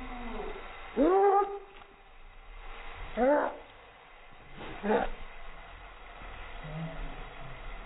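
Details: Chihuahua reacting to helicopters: three loud, hoarse bark-howls about two seconds apart, each starting high and sliding downward with strong harmonics, over a steady low background rumble.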